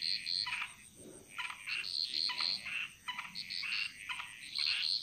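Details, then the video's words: Frog chorus from the Bali jungle, a dense overlap of short high chirps and clicks in quick irregular runs, with a few lower buzzy notes; a constant high hiss sits behind. "Frog Mantras - Relaxing Sounds Of Bali"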